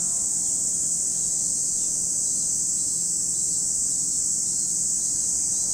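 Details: Unbroken shrill cicada drone recorded at Lake Kamo in Sado City, Niigata, Japan, high and even throughout with nothing else standing out.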